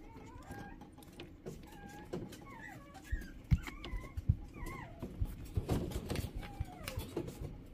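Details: Shih Tzu whimpering indoors: short wavering whines, some rising and some dipping, clustered in the middle of the recording, with a constant low rumble and soft taps underneath.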